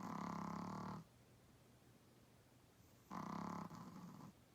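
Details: Small 8 lb Chihuahua-Pug mix dog snoring while asleep: two rough, rattling, buzzy snore breaths, about a second long, separated by quiet pauses of around two seconds.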